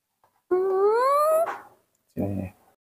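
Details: Mobi, a pet baby monkey, cries out for milk early in the morning. A clear tonal wail climbs steadily in pitch for about a second and is followed by a brief, lower, rougher cry. Room is otherwise quiet.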